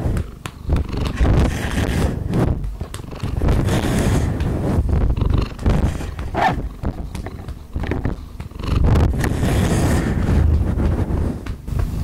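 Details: Domestic cat purring while its rump is patted: a continuous low rumbling purr that swells and fades in waves, with rustling and soft handling noises over it.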